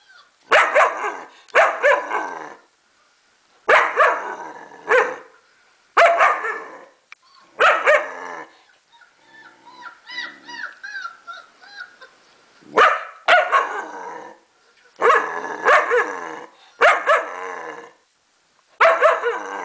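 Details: German Shepherd aged four months reacts to recorded puppy noises with a long series of loud, rough barks in pairs and singles, with short pauses; thin, high puppy whimpers from the playback fill a gap midway.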